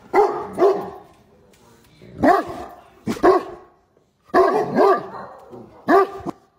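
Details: A Great Dane barking at his owner with the howling type of bark, as if talking to him: loud, rough, slightly drawn-out barks come singly and in pairs, about five bursts in six seconds with short quiet gaps between.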